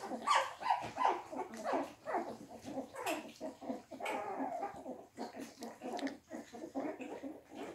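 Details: Litter of English Springer Spaniel puppies eating their first quark mash: a busy mix of short squeaky whines and yelps, several close together early on, over constant lapping, clicking and smacking sounds.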